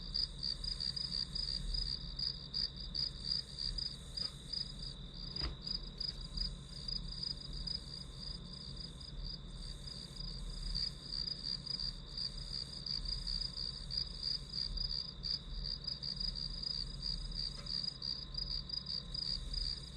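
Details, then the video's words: Continuous high-pitched pulsing of grass insects, background sound for a study-with-me session, keeps a steady fast rhythm for twenty seconds; one short tap sounds early on, with a low hum beneath. "풀벌레 소리"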